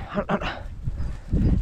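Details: A Podenco gives a couple of quick, rough barks during a hunt, with a man's voice talking nearby.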